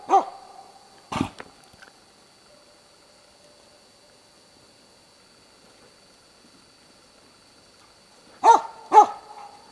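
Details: Hunting dog bay-barking at a moose cow and two calves at Båthussjön, Huskölen, Sweden, in 2008. One loud harsh bark, then a long quiet gap and a final pair of sharp barks. A steady faint high tone runs underneath.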